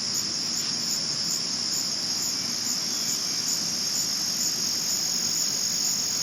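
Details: Night-time cricket chorus recorded in 2022, a continuous shrill high trill with a faint pulsing texture, holding steady throughout without pauses; no other animals or voices stand out.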